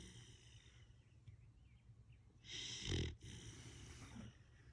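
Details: Young Siberian Husky snoring while sleeping on a bed, a single loud raspy snort-like breath near the middle, trailing into a softer hiss, with faint room noise around it.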